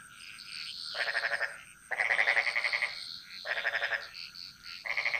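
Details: Chorusing frogs in the Bali jungle give throaty, pulsed croaks about a second long in quick succession, with quieter overlapping calls and a steady high hiss underneath.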